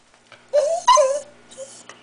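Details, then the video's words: Sheltie named Jake, a pet dog trained to answer when spoken to at home, gives two short whiny yelps, each rising then falling in pitch, with a quiet pause between. "Jake barking"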